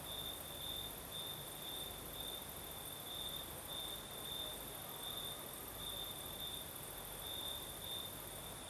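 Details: On a Crimean southern night with a light breeze, crickets keep up a continuous high-pitched trill, its pulses swelling slightly about every two seconds. An airy, sizzling insect hiss sits higher still, over a steady wash of wind.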